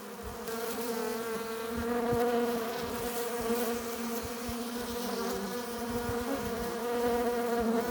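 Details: Steady buzzing of many honey bees at the hive entrance, bees arriving with pollen and nectar; dense droning hum that swells and fades gently, with faint clicks of wings and bodies.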